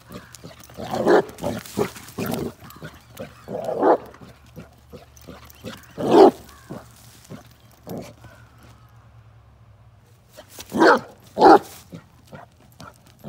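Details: Off-road outing with Bruno the Basset Hound: irregular deep barks and huffs scattered through, with a loud bark near the middle and a tight pair of barks toward the end, over rustling and clicks.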